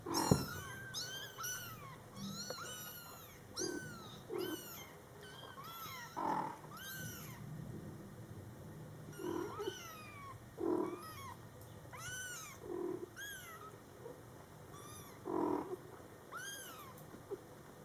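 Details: Month-old Scottish Fold kittens with their attentive mother cat: a chorus of high, bent mews in quick runs, then spaced single cries every second or two, mixed with short lower chirrups and occasional faint purring.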